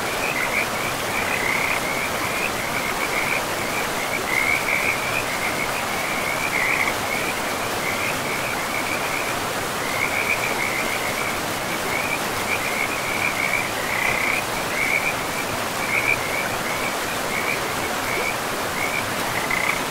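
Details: Frogs at a river in a pristine, moss-covered forest keep up a steady chorus of rattling croaks in short clustered bursts with brief gaps, backed by the even roar of flowing water.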